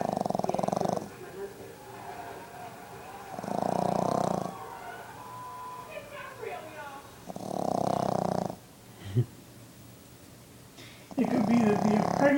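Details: Sleeping Boston Terrier puppy, five months old, snoring in rasping, buzzy bursts of about a second each. Four snores are spaced three to four seconds apart, with voices murmuring softly in the background between them.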